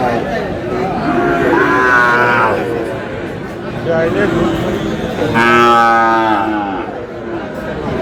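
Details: Sahiwal bull calves for sale at the start of Aftabganj cattle market in Dinajpur, 4 August; two long, harmonic moos, each rising then falling, about three seconds apart, over steady market chatter and voices.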